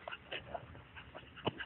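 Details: Scottish Terrier named Lassie playing with a ball. Short high whimpering squeaks come in quick bursts beside soft scuffling, while a person keeps urging "get it".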